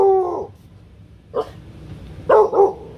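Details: A four-month-old female Rottweiler puppy on her first outing to a street-side drink stall gives short, high-pitched guarding barks at passing strangers and customers, with quiet pauses between them.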